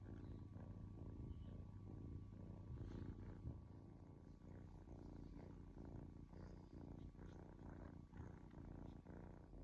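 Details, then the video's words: Domestic kitten at rest purring, a low vibrating hum that swells and eases in uneven breaths, with faint higher rustling sounds scattered through it. "Cute Kitten Purring"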